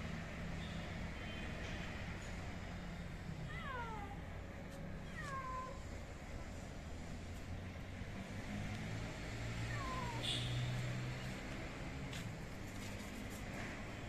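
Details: Two lost kittens, left by their mother, calling from a roof; about four high, falling meows come in a cluster near the middle, then one more later, over a steady low hum of traffic.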